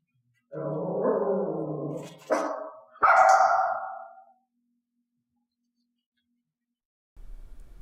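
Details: Dog being trained to bark on a hand-gesture cue indoors: a longer low grumbling sound, then a short sharp note and a loud drawn-out bark, followed by silence and low rumbling noise at the end.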